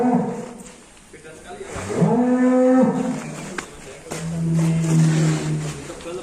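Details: Black Angus cattle leaving the pen in Indonesia, giving two long, low, drawn-out moos, the second deeper and steadier, with faint music and a voice in the background.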